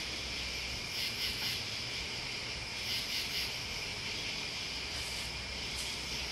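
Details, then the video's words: Crickets and other bugs keep up a dense shrill buzz, with louder pulsed chirp groups recurring every couple of seconds over a low rumbling undertone. "The Sounds Listening to Crickets and Bugs"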